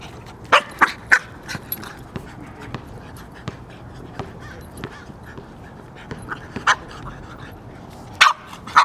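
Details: Magneto, a pet dog playing fetch and chasing a basketball during a walk at work, lets out short sharp barks in loose bursts, a cluster near the start and a pair near the end, with quieter yips between over steady background hum.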